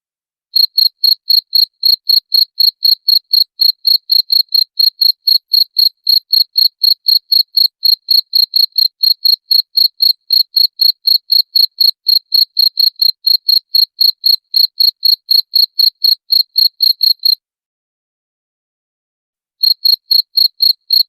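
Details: Cricket chirping, sound offered for driving away rats: a shrill, high-pitched pulse repeated about four times a second in a steady, insistent rhythm, stopping for two seconds near the end before resuming; no other sounds.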